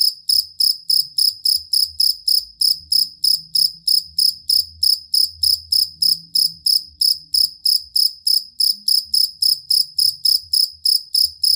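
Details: Songbird tutor recording of a jangkrik kalung or fighting cricket: a long, unbroken series of sharp, high chirps, each a quick pulsed burst, repeating about three times per second, with faint deep rumbling in the background.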